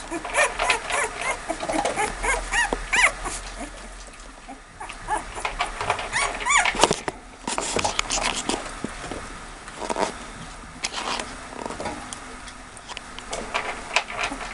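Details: American Staffordshire Terrier puppies, about two weeks (13 days) old, giving a busy stream of thin, high whines and squeaks, overlapping in irregular bursts, with soft shuffling between calls.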